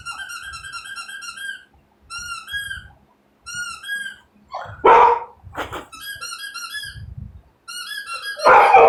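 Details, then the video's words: Pet dog indoors barking at a squeaky toy heard on TV: harmonic toy squeaks in repeated runs, broken by a few loud, harsh bark bursts, with background music and a person's voice. "my dog is barking at a squeaky toy on TV"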